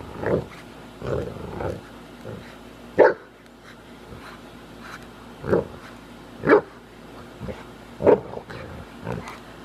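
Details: Leonberger playing tug-of-war on a lawn, giving short gruff barks and growling huffs at irregular intervals, about a dozen bursts with quiet pauses between.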